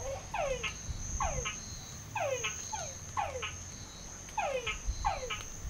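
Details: Frogs singing in a well in San Pedro Nonualco repeat short, falling whistled notes in quick pairs, over a steady high insect whine.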